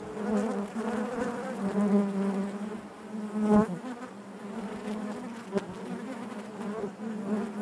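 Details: Honey bees buzzing inside their hive: a dense, steady hum with a strong low drone and stacked overtones, swelling and fading as individual bees pass close, with a brief sharp tap near the middle.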